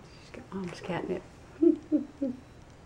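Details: A playful female chinchilla golden Persian cat, almost five years old and a mother of a litter, playing with catnip indoors. She gives three short, low chirruping calls about a third of a second apart, after some brief human talk.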